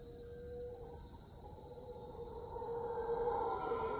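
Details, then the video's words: Howler monkeys in the jungle at Puerto Viejo, Costa Rica: a distant, drawn-out moaning roar that swells and grows louder toward the end, over a steady high buzz of insects. "Howler Monkeys"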